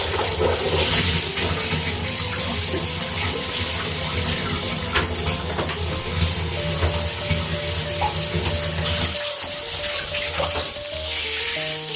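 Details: Running tap water fills the scene along with soft background music, and no animal voice stands out.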